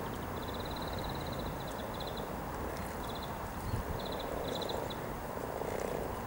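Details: Hundreds of frogs mating near Cow Tower on a riverside walk in Norwich, 7 April 2013; a dense low purring chorus hums steadily throughout, with rapid high pulsed trills in short bursts above.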